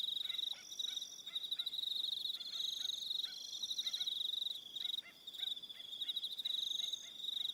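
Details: Crickets on Aroha Island, New Zealand, in the evening: a dense, high, continuous chirring band with rapid pulsed trills, several overlapping callers, plus short repeated lower chirps scattered throughout.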